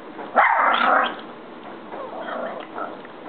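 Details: Pita, a pet dog that likes to talk, answers a request to speak with one loud, harsh bark lasting about half a second, then softer, fainter vocal sounds over steady background hiss in a muffled recording.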